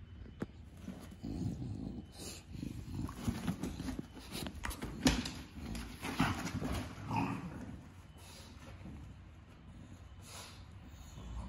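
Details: Bulldog snorting and grunting, a series of rough, noisy low breathy bursts that swell and fade over several seconds, with quieter pauses between.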